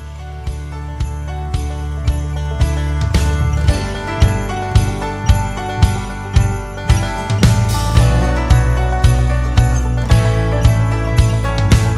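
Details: Jingling bell music with a steady beat fills the recording, and no animal voice is heard.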